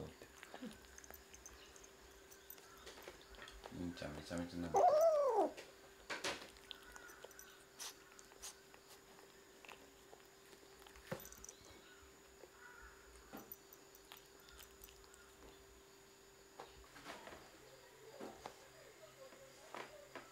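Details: Kitten that mistook a roll cake for its snack and took a taste, giving one short arched meow with clear harmonics that rises then falls, followed by scattered soft clicks and handling noises.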